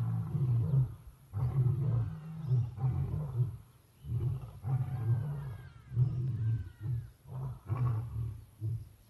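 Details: A male lion, king of the pride at a big cat sanctuary in Africa, roars his heart out at sunset: a rolling series of deep, chesty grunts, roughly one a second, with short pauses between.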